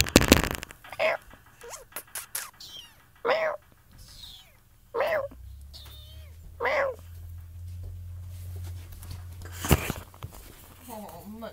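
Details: Rescued five-week-old kittens meowing: a series of short, wavering, mid-pitched mews roughly every one to two seconds, with sharp clicks and handling noise at the start and a low steady hum in the middle.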